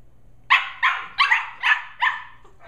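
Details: A quick burst of five shrill, evenly spaced barks from 11.5-week-old Shetland Sheepdog puppies Holly and Pearl during evening wrestling play indoors, each bark short and bright, following a brief quiet start.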